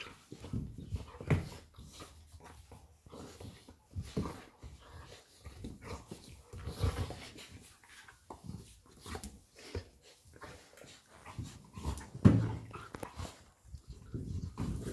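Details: Labrador Retriever mother Lilly playing with her puppy Molly indoors; low grunts, soft growls and panting bursts come in irregular clusters, with scuffling and thumps from the play in a small room.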